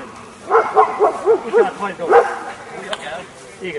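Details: Kuvasz dog at a Hungarian breed show with beauty judging, working trial and attack test; a quick run of about six sharp, mid-pitched barks spaced roughly a quarter second apart, with Hungarian speech from handlers around it.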